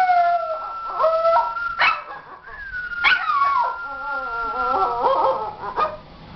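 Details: Schipperke singing along with a steady held tone, its howls sliding up and down in long wavering notes, some broken into yips, repeated in uneven phrases across several seconds.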